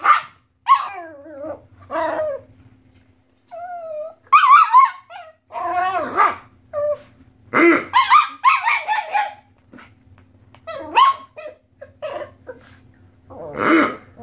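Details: A 2.5-year-old Chihuahua and a second brown dog annoyed by a squeaky pig toy: irregular bursts of high yips and barks mixed with squeaks and brief growling, separated by short pauses, over a faint low hum.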